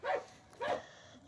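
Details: Two brief, clipped barks from Medo, a Croatian Sheepdog herding as a working dog, spaced just over half a second apart.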